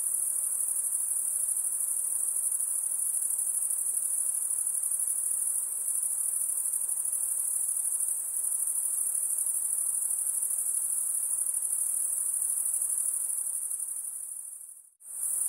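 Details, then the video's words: Continuous high insect trill, shrill and evenly pulsing, running without a break before fading out sharply near the end and returning briefly; faint soft hiss beneath. "Relaxing high pitched INSECT sounds"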